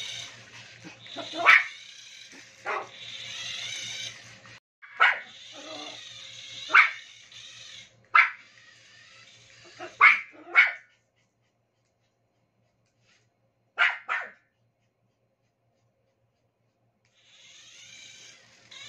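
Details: Toy Poodle named Maple barking while playing with a remote-control toy: sharp, high yips in bursts spaced one to two seconds apart, a quiet gap, then a final pair, over the whirring whine of the toy's motor.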